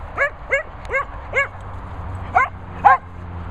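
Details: Barking from Darling the Cocker Spaniel, housed with Bella Boo and Bernie: six short, arched yaps spaced about every half second, with the last two louder, over a low steady hum.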